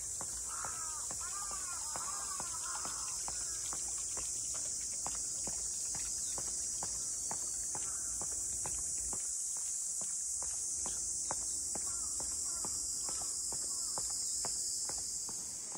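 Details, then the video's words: In Ine's traditional boat-house district north of Kyoto, cicadas keep up a continuous shrill buzz. Regular footsteps walk beneath it, with brief warbling bird notes near the start and again later. "cicadas voice"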